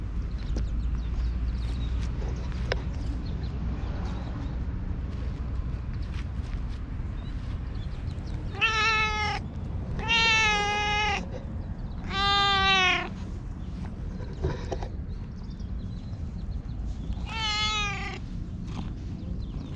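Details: An all-black stray cat that followed the filmer and climbed onto a lap, appealing for something in cat language, recorded on a GoPro HERO8: four drawn-out, harmonic meows clustered in the second half, after quiet rustling and low background rumble.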